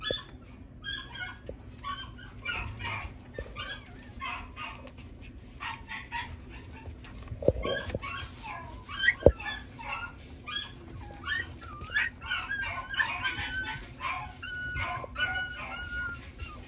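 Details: Black male Shiba Inu puppy yipping in quick uneven bursts, then drawn-out whining cries in the last few seconds, with a couple of sharp knocks in the room.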